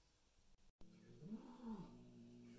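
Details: During a first meeting between new Bengal kittens and adult house cats, one cat gives a short moaning yowl that rises and then falls in pitch, following a soft tap in a quiet room.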